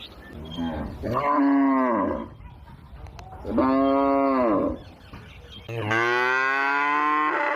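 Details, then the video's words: Village cow lowing three times: drawn-out, rich moos about one to two seconds long with a slight arching pitch, the last one held and steady, with soft background rustle between calls. "cow and buffalo video"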